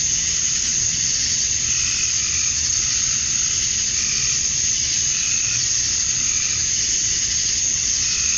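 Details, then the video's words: Cicadas in a Georgia, USA summer dusk, with males calling to win females. Their shrill, constant buzzing hiss fills every moment, while brief fainter pulsed trills recur at intervals. "Cicadas at Dusk, Summer Night"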